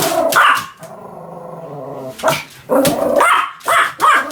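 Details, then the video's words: Pomeranian giving loud, high-pitched barks with a whining rasp between them, about five sharp yaps over a few seconds, each bark short and bright. "犬の鳴き声 ポメラニアン 1000回吠え Dog sound effect"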